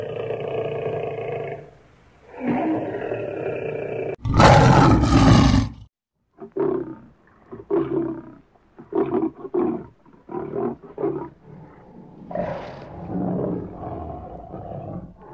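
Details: Lion. Deep, resonant lion roars open with long moans and one harsh, full-throated blast. A rapid series of short, chesty grunts follows, fading off in the typical lion roaring pattern.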